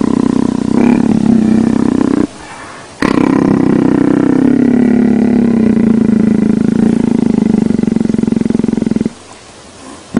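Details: Leopard enjoying being petted: a deep, fast-pulsed rumbling vocalization held in a long bout of about six seconds after a shorter opening burst, with a brief quiet gap between them.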